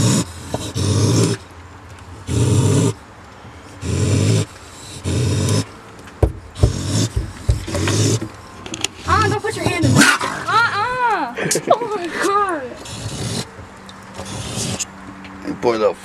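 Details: A raccoon in Milwaukee, apparently trapped overnight in a water-filled garbage can, growls in low, rough rumbling bursts that swell and fade every second or so, while people speak sympathetically; a splash or clatter sounds partway through.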